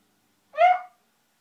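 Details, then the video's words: Koji, a Shiba Inu indoors, frustrated because his ball is stuck behind a TV stand, gives a single short whining yelp, about half a second long, rising then falling, clear and harmonic against a quiet room. "Koji the Japanese Shiba In makes strange noises"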